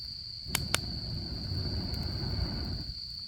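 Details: High, even insect trilling on an autumn camping night, joined by two quick cracks from the campfire and a rising low rush of flames beneath the constant ringing tone.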